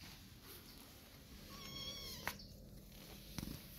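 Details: Kittens 45 days old, being weaned by their mother cat, with one brief, faint, high mewing call partway through, then a couple of soft clicks against a steady background hiss.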